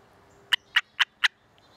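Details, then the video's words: Gray tree frog caught on a muscadine vine in Georgia during a dry summer, giving barking sounds while handled, unlike its usual musical mating trill: four short, harsh, clipped barks about a quarter second apart over quiet background. "Gray Tree Frog Makes Barking Sound"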